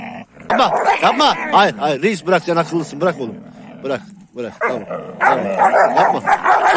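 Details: Kangal dogs in a fight, constantly quarrelling young dogs: a loud, rapid string of arched yelping barks, rising and falling, with short gaps and snapping bursts between them.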